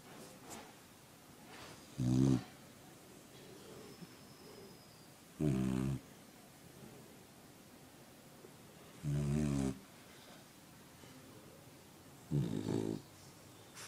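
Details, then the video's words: Sleeping puppy snoring loudly: four low, rough, harmonic-rich snores, each about half a second long and spaced roughly three and a half seconds apart, with quiet breathing between them. "Cute And Funny Snoring Puppies Compilation!"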